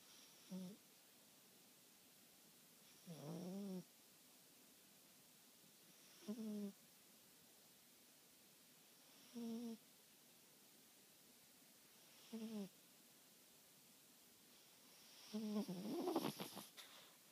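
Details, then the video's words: Four-month-old French Bulldog with sleep apnea snoring indoors: short nasal rasping snores with a buzzy harmonic tone, repeated about every three seconds with quiet gaps, the last one longer and noisier. "French Bulldog Sweet Pea snoring"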